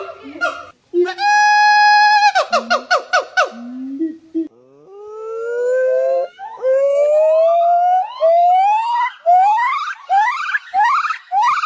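A monkey gives a held tone, then quick falling notes and a run of rising whoops.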